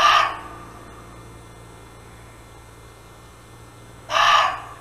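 A muntjac gives two short, harsh, dog-like barks about four seconds apart.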